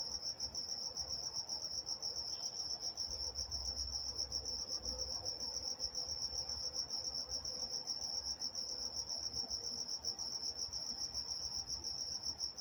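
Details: Crickets chirping at night in Walnut, California: a continuous high, pulsing trill with rapid regular pulses, steady throughout, over a faint low rumble.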